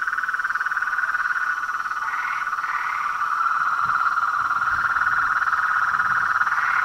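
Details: Mixed frog and toad chorus, including treefrogs, a loud unbroken vibrating trill, with two short rising notes above it early on and soft low sounds in the second half.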